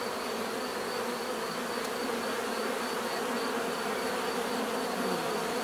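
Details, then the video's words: Dense, unbroken buzzing of a mass of bees, loud and steady, a thick drone of wings with a single faint click partway through. "bees therapy relaxing natural buzzing sound"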